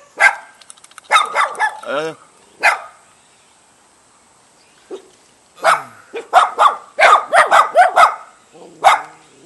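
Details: Jindo dog, together with a Baduk dog, greets a guest in a house front yard in a mountain village near Jeonju, North Jeolla Province, Korea. Loud sharp barks come in rapid bursts with a rising whine, mixed with a person's voice.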